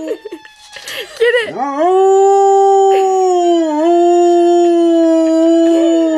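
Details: Female pet dog howling at a passing siren: a few short wavering yelps rise sharply into a long, steady, mid-pitched howl held for over four seconds.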